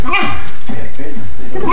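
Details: Basenji; yodel; begging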